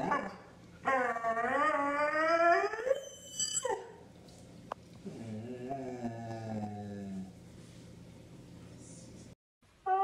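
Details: Siberian Husky screaming in protest at not going out: a loud wavering wail at the start, then a fainter lower moaning howl over a hissing background, ending in a sudden bright burst.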